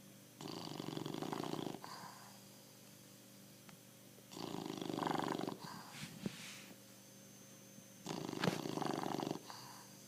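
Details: Bulldog snoring: three long, rasping, rumbling breaths, each about a second and a half long, repeat roughly every four seconds with quiet gaps between them.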